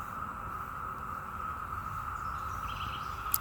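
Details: Cicadas drone in a steady, unbroken mid-pitched buzz over a low rumble, with birds singing, on the morning of May 2, 2021, in Parkton, Baltimore County, Maryland, USA, where they are everywhere.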